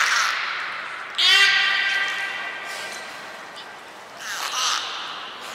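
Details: Pool transfer and training of belugas Hodoi, Taanya and Mirai at Port of Nagoya Public Aquarium, 23 February 2021: a bright, buzzy harmonic call that starts abruptly and fades over about a second, with hissy washes before and after.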